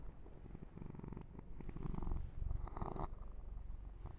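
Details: Male kitten Yumak purrs through a fur massage in an ASMR recording; a deep, continuous throbbing purr swells and fades, with soft rubbing and grooming noises layered over it.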